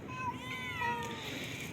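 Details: A domestic cat whose tail was cut off meows while being fed an early evening snack: a drawn-out, harmonic, slightly wavering meow lasting about a second, with quiet human voices nearby.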